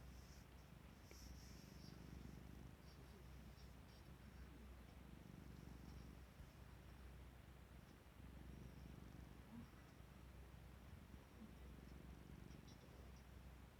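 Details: An affectionate domestic cat curls up asleep in the spot where its owner sits, purring softly. A low rumbling throb swells and fades with each breath, roughly every two seconds, over a quiet room hiss.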